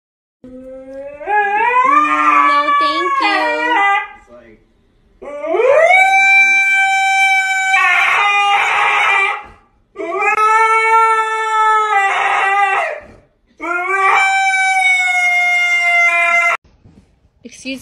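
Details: Husky howling: four long, strongly harmonic howls, each rising at the start and then held level for two to three seconds, with short pauses between them and some overlapping noise.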